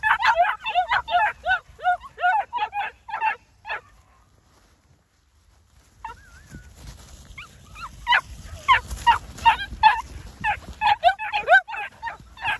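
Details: A litter of New Zealand Huntaway puppies barking in rapid high yaps, a lull with a single whine, then a renewed chorus of overlapping yips and squeals from several pups.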